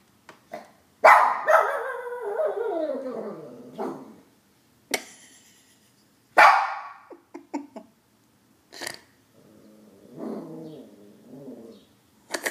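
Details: Howling Shih Tzu: a long quavering wail that falls in pitch over about three seconds, then a second shorter howl that drops sharply. Soft whines and scattered clicks come between the cries.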